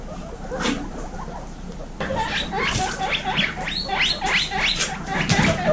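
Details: Baby guinea pigs from a 26-female group: quiet start, then loud wheeking bursts, a run of rising squeaks repeated about three times a second, with soft rustling.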